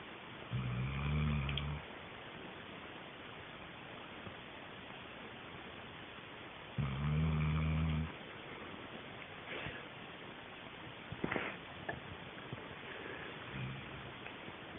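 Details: Low, buzzy snores from Sheila the sleeping dog, two drawn-out rumbles about six seconds apart, followed by faint rustling and a weak final breath.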